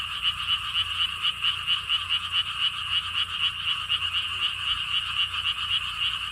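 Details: Dense frog chorus recorded at the Lotus Theme Park, Siheung, Korea: quick, evenly pulsed croaks roughly four per second run unbroken throughout, with little other sound beyond a soft low hum.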